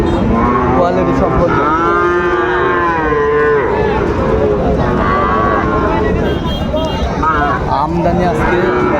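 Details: Sahiwal bull calves at Raniganj cattle market on 25 July 2024: several deep, harmonic moos overlap and waver through the clip against constant crowd chatter and market din.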